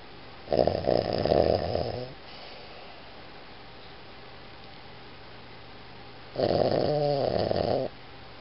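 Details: Boston Terrier named Iggy asleep indoors, giving two drawn-out, throaty, vibrating snores about six seconds apart, each lasting roughly one and a half seconds, with only a low hum between them.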